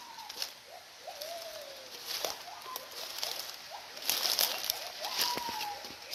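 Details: Wild gibbons calling unseen in forest near a Karen village, at least five or six animals, each with a different voice: distant clear whistled notes sliding up and down, some long falling glides, with insect hiss and handling clicks.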